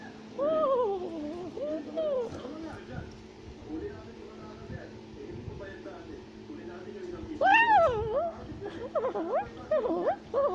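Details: A tufted capuchin monkey shouts and chatters while climbing a tree in South America. Wavy, warbling calls open the clip, then a quieter stretch, then a burst of sharp rising and falling squeals near the end.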